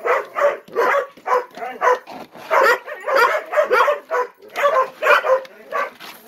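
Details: Eager ten-month-old Gollie puppies in a morning breakfast ritual, several voices whining and yipping over one another, a steady stream of short, bright, slightly rising cries repeated several times per second.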